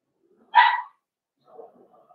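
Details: Four-week-old Cavalier King Charles Spaniel puppy in a home puppy pen, during socialising with other dogs and first tries at puppy mash: one short harmonic yip, then soft faint rustling.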